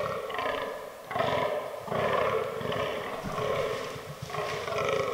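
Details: Fallow deer buck groaning during the autumn rut in forest, from a herd including albino and melanistic bucks; deep, belching groans repeat roughly once a second, each a short harmonic burst with brief gaps between.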